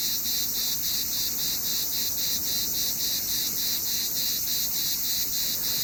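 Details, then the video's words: Summer cicada chirping: a bright, continuous high-pitched buzz throbbing rhythmically about three times per second, unbroken and even in loudness. "What does a cicada sound like? Summer in one sound!"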